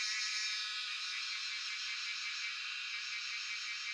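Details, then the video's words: Chorus of cicadas (jhyaukiri) from Shivapuri National Park in Tarkeshwor, recorded by phone: bright, continuous buzzing, a little louder at the start and easing slightly, with a fine rapid throb underneath. "Sound of Cicadas (Jhyaukiri)"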